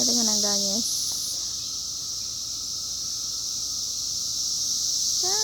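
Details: Cicadas out in 2021 keep up a steady, high, hissing drone that never breaks. A short harmonic voice-like whine sounds at the very start, and another faint one sounds at the end.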